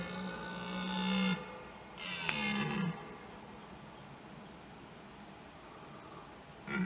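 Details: Rutting red deer stags in 2021, several bulls and a fight: two loud, harmonic bellowing roars, the first held over a second, the second shorter and falling at its end, then quiet until a third roar begins at the close.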